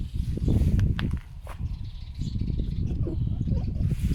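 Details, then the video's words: Two female pet foxes rescued from a fur farm grunt like pigs while taking a dead bird from each other outdoors on a day of strong winds; rapid, low, rough pulses come in a dense, uneven run, over rustling and footsteps. "Foxes make grunting noise like a pig"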